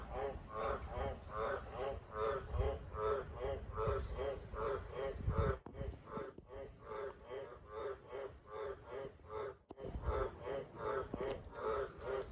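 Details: Australian green tree frogs calling at night by a farm shed with cattle water troughs: a long run of deep, rasping harmonic croaks repeating at an even pace, broken by two short gaps, with steady low-frequency background noise.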